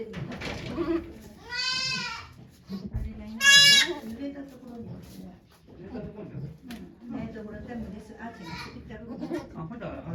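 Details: Goat Okayu in labour at Yoshigake farm, Japan, 3 May 2023, delivering two kids with volunteers present: two strained, quavering bleats about two seconds apart, then a fainter third, over steady background chatter from onlookers.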